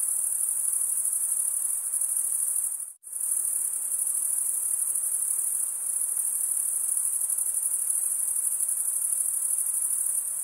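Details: Crickets trilling in a high, even chorus, briefly cut to near silence for a moment around the third second, then the steady shrill pulsing resumes unchanged.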